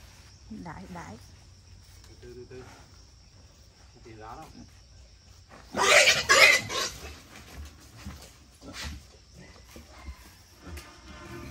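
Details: Captive wild boar, 11 months old, being caught by a father and son to weigh before selling; one loud, rasping squeal mid-way, surrounded by scattered voices and handling noises.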